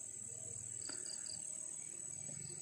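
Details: Crickets at night in a salak plantation near rice fields keep up a steady, high-pitched trill, with a few short, sharper pulses rising above it; night insects are not very dominant.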